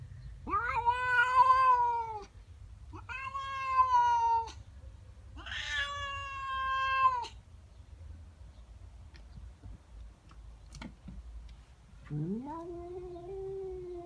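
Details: Female domestic cat at home yowling at a neighbour cat in her garden: three long wavering harmonic wails, then a short rising moan, with a woman speaking softly between them.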